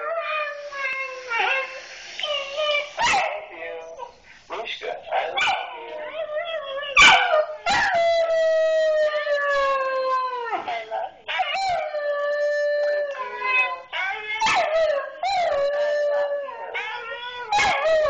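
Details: Siberian Husky howling in response to hearing "I love you" from its owner, long wavering tonal howls with sliding pitch, broken by yips and short talky whines, sustained for many seconds; a woman's voice occasionally in between.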